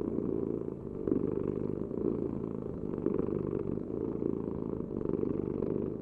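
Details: A cat purrs without pause, a low raspy rumble whose loudness rises and falls about every two seconds with its breathing.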